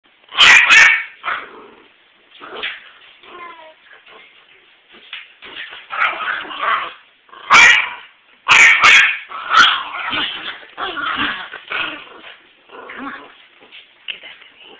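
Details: Rags, a pet terrier, playfully attacking his beloved cat toys indoors on a Sunday morning: sharp barks and high yips in uneven bursts, mixed with growly rumbles and whimpering whines, with a few loud clattering knocks.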